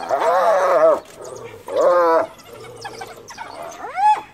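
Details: In Kruger, a female spotted hyena guarding her recently dead cub, cornered by wild dogs, gives loud, wavering, harmonic cries ending in a sharp rising whoop, calling clan members for help.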